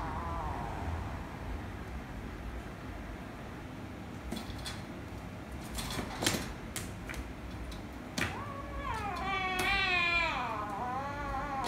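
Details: Rescue kitten and ginger kitten, the kitten angry: a soft falling meow at the start, clicks and scuffles, then a long wavering, warbling meow near the end over a low indoor hum.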